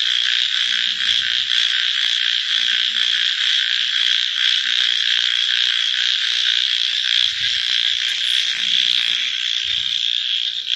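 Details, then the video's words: Frogs calling at night in a dense, unbroken chorus of high, rapid trilling pulses, with a few low, short croaks breaking through underneath every second or two. "Frog Night Sounds"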